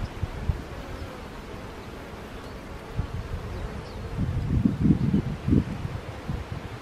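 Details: Low droning hum of honey bees, steady at first and then swelling into stronger pulsing surges toward the end, over faint outdoor rustling.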